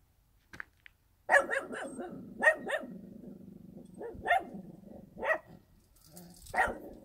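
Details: After a near-silent start, a rural dog barks in bursts: a quick cluster of three, then single and paired barks spaced about a second apart, each sharp and harsh.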